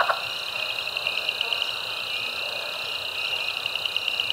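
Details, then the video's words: Frog chorus of several species at Caddo Lake National Wildlife Refuge in eastern Texas, March 10, 2024: steady high-pitched trilling mass with bright repeated peeps standing out in quick succession, plus a brief low thump at the start. "Caddo Lake NWR Frog Chorus"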